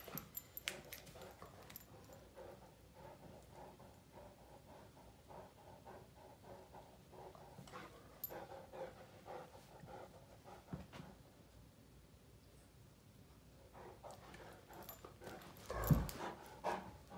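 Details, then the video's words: Great Danes Finn and Magic, two males, during a bout of mouth-fighting play: steady rhythmic panting runs throughout, with a few sharp clicks and a loud thump and scuffle near the end. "Great Danes Mouth Fighting"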